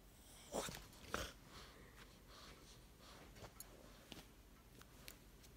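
A Boston Terrier gives two quick, breathy snorts, followed by faint clicks and shuffling indoors.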